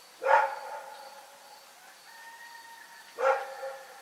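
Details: Two sharp barks from Rex, a dog barking at night, about three seconds apart, with a faint, thin drawn-out tone heard between them.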